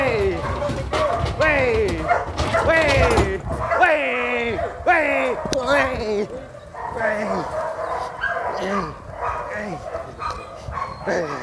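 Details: Fierce sport dog at Vom Almere Dog Training Centre, Indonesia, attacking a man: rapid, harsh barks with falling tones, loose bursts about once a second, mixed with shouting and talking voices throughout.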